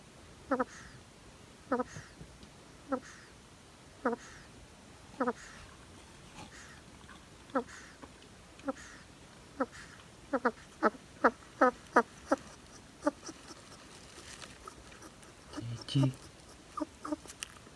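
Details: Pet hedgehog snores with short squeaky wheezes, first about a second apart, then quickening into a rapid series, followed by rustling and a louder shuffle toward the end.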